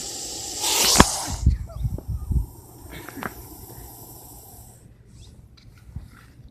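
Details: Russell's viper giving a loud hiss: one harsh, breathy burst of broad noise lasting about half a second near the start, then a fainter steady high hiss and scattered low thumps before it fades out.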